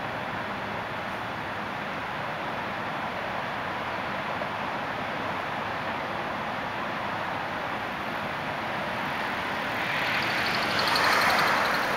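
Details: A steady roar of Los Angeles city traffic fills the scene, swelling near the end as a heavy vehicle or aircraft passes.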